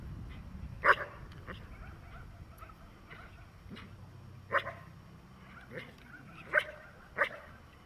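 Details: Dog in protection training giving loud, sharp barks, a single bark near the start, then a gap before a burst of barks spaced one to two seconds apart toward the end, over a low background murmur.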